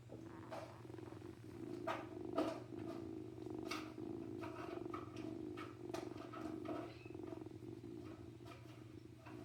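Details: Tiny male kitten, one of a litter still with its mother, purring for a human; a loud, even, finely pulsed rumble runs throughout, swelling and easing with breathing, with occasional soft taps and rustles and a faint steady hum.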